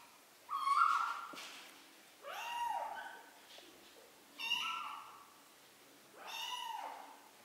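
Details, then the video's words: Excited three-week-old kittens meowing as they learn to walk: four clear, harmonic-rich meows roughly every two seconds, some arching up then falling, others flat and thin, over a quiet indoor background. "BEBEK KEDİLER ÇOK HEYECANLI 😻 MİYAVLAYARAK YÜRÜMEYİ ÖĞRENİYORLAR"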